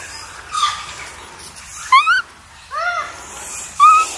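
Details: Wild Japanese macaques at Awajishima Monkey Center in Sumoto, Hyogo, Japan, a troop of about 350, appearing just before 3 pm; clear rising-falling coo calls, isolated and spaced about a second apart, over soft background hiss.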